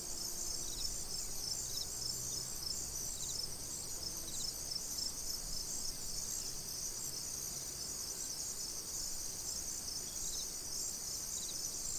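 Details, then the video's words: Crickets at a tranquil pond producing a steady high-pitched buzzing chorus, with short chirp bursts repeating about every second, over quiet low background noise. "Cricket Sounds"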